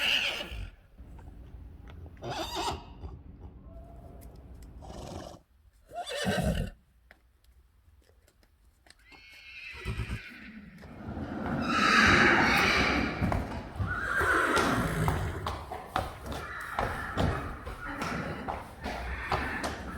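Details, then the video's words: Friesian horse neighing: after quiet stretches with scattered knocks and thuds, a loud, rough, broadband whinny swells around the middle and trails into further shaky, harsh neighing with background rustle and stable noise. "Neighing horses. More than 100 times | April Fools' Day | Friesian Horses"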